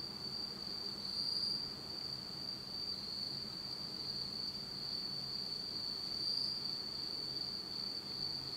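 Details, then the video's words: Autumn night insect chorus in Japan, recorded in complete darkness; an unbroken shrill high trill runs throughout, with occasional faint higher chirps and a low rumble beneath. "真っ暗闇の秋の虫の声 Beautiful sound of insects in the fall of Japan in total darkness."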